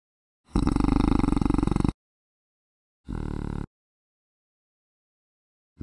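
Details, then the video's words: A male koala sings at a very low pitch with its additional vocal folds. A long, deep, pulsing belch-like bellow is followed by a shorter, rasping snore-like phrase, then silence. "Vokal Superbass Koala Phascolarctos cinereus"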